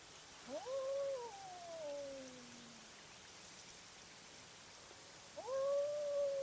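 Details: A fierce nighttime cat fight recorded by a trail camera: loud, long yowling wails that climb quickly and then droop slowly, one answered by a lower falling moan, with a second wail starting abruptly near the end.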